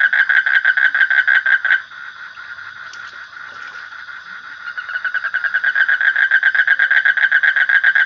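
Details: Pulsed frog trill at a steady pitch that breaks off after about two seconds, leaving a few faint clicks and a quiet stretch, then starts again softly and builds back to full strength.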